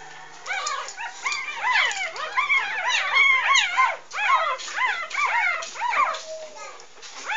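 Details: Maggie's six three-day-old English Bulldog pups from her first litter, three female and three male, cry while nursing; a dense chorus of shrill, arching squeals rises and falls rapidly, voices overlapping with barely a pause throughout.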